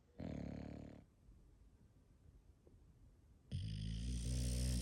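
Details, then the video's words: Sleeping English Bulldog snoring indoors, in a home with five bulldogs: a low, harsh snore burst, a quiet pause, then a longer, louder rumbling snore with a buzzy, droning tone. "Those Famous Bulldog Snores"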